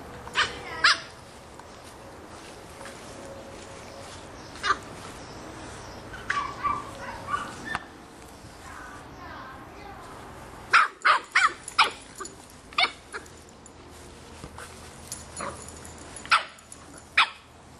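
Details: A 3½-month-old Boston Terrier puppy barks at a soccer ball in sharp, high, loud yaps in scattered bursts, with brief human voices.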